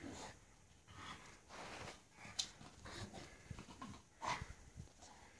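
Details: A Staffordshire Bull Terrier out in the snow snorts and pants in rough, breathy bursts, with a few sharper huffs.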